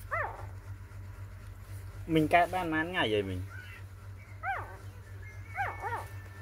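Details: Four-day-old puppies from a litter of six crying with thin arched squeals, broken by a louder wavering, drawn-out wail in the middle, with a steady low hum underneath.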